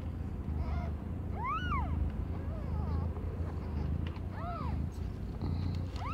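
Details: Aimee, a cat under a year old, gives birth to five kittens with completely different colours; two clear curved meows and some fainter ones rise and fall above a steady low hum.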